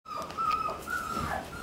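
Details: One-month-old Shiba Inu puppy on its second day in the room, mostly sleeping and barely moving; a thin, high, sustained whine holding a steady pitch for about a second, then sliding slightly downward and fading.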